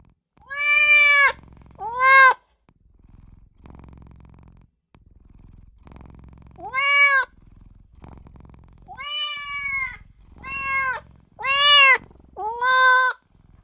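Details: A tiny newborn kitten crying for its mother and owner: a series of high, harmonic meows that rise then fall, singly or in quick pairs, with a soft low rumble between calls.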